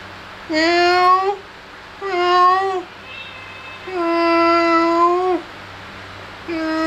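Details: Cute kittens playing and feeding, meowing insistently: four high meows, two short, a third drawn out for over a second with a steady pitch, and a fourth starting at the end.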